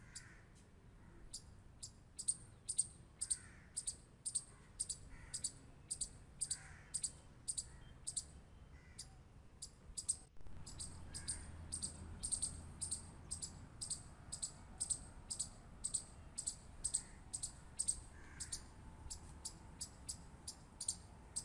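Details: Squirrel clicks come in rapid, irregular trains of short sharp ticks, pausing briefly before resuming denser, with a low background hum and occasional faint chirps.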